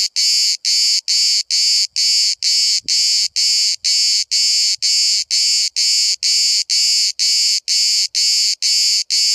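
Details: Single cicada filmed from about 5 cm at Bodrum, Turkey, where hundreds sing all day: loud, high, harsh buzzing pulses repeated about twice per second in a steady regular rhythm, with faint lower tones beneath.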